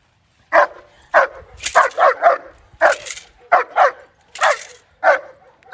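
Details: Justyce, a German Shepherd, barking during his first bite work session: sharp, repeated barks, some in quick doubles and triples, roughly one to two per second with brief pauses between.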